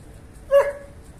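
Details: German Shepherd in a mating context, giving one sharp, short bark or yip with a clear tonal core, alone against quiet background hiss.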